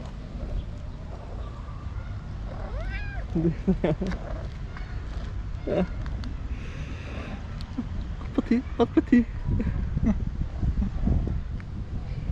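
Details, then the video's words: Hungry white tabby stray cat meowing loudly beside people it had missed; one clear arched meow early on, then short scattered mews amid low rumbling background noise and Turkish speech. "White Tabby Cat Meowing Loudly For A Long Time"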